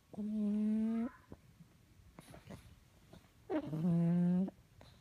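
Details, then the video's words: A male pug snoring while asleep, loud enough to wake the house: two drawn-out, tonal, buzzing snores of about a second each, separated by a quiet pause with soft breathing, indoors. "Pug Snoring"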